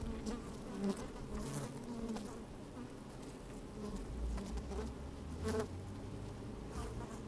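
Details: Busy honey bees at an open hive, recorded with a microphone pushed into the hive on a sunny, slightly windy day; a thick low drone with occasional sharp buzzing bursts and light ticking patter.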